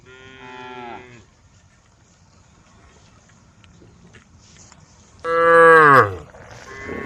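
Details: Grazing in a forest, female cows from a group moo: a short falling moo opens, then after several seconds of quiet a loud, strained bellow that bends upward and drops away, followed by a softer call.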